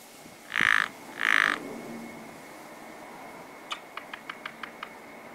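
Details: Frogs at a spring pond: two loud, raspy croaks close together, then a rapid series of about seven short dry clicks, with a faint steady tone and quiet background.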